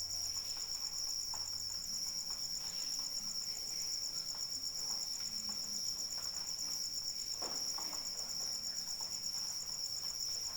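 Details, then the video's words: Cricket song in rain: an insistent, high, rapidly pulsed trill that never stops, laid over a gentle, continuous rain hiss with occasional louder drop impacts. "Suara Hujan dan Jangkrik Pengantar Tidur"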